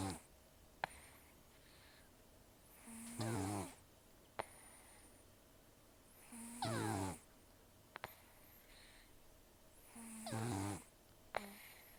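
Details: Rescued elderly cat Taro, about 10–14 years old, taken in October 2024, nearly toothless from periodontal disease and long outdoor life, snoring heavily while asleep: a rasping breath with low buzzy tones every three to four seconds, quiet room.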